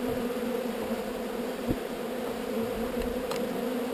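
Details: Swarm of honey bees during relocation, a continuous massed hum with steady low bands and no pauses, one faint tap midway.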